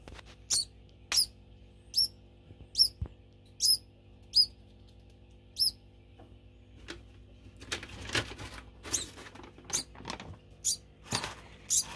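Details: Pet degu calling for food before feeding; shrill high squeaks repeat at first, then give way to rustling, scratching cage noises mixed with further short squeaks.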